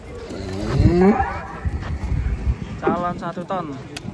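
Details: Agitated cattle with a broken horn being unloaded from a truck gives a loud, low moo that rises then falls, followed by people's shouting voices and clatter.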